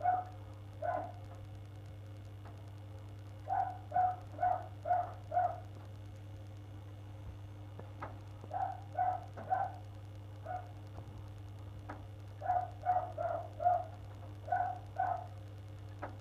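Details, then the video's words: Neighbours' dog barking in the morning on 1 February, going on for an hour; distant muffled barks in quick bursts of three to five, clusters every few seconds, over a steady low indoor hum. "Neighbours' dog barking"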